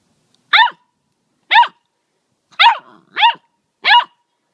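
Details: Labrador Retriever puppies giving five short, high, yelping barks about once a second, each rising then falling, with a softer scrap of sound after the third bark; no other noise.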